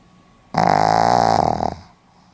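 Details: Dozing Pomeranian, 4 November 2015, lets out one harsh fluttering snore lasting roughly a second, rattling and buzzy, trailing away into near silence indoors.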